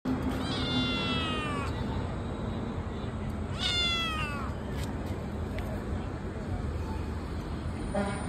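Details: A Persian cat gives two drawn-out meows, each sliding downward in pitch, over a low background hum.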